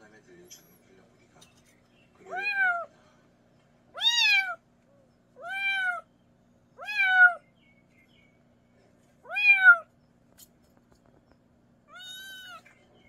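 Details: Countryside kitten calling six times in near silence: clean, drawn-out meows that swell up and drop away, spaced one to two seconds apart, with a faint background hum.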